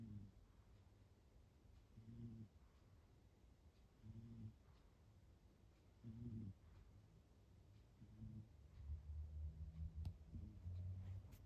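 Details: Domestic cat, a rescued foster cat, snoring faintly while asleep indoors: soft low rasping breaths repeating about every two seconds, growing slightly louder toward the end.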